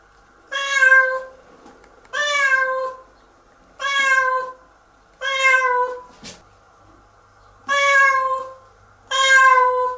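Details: Domestic cat crying indoors in protest while being washed in the shower: six loud, drawn-out harmonic meows, each about half a second long and spaced roughly one and a half seconds apart, over a quiet room.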